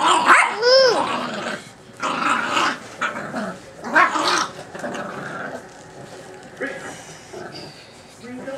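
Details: Six-week-old American bulldog puppy, a pet, giving a short rising-and-falling whiny yelp, then rough growly bursts about every second, mixed with a man talking and laughing throughout.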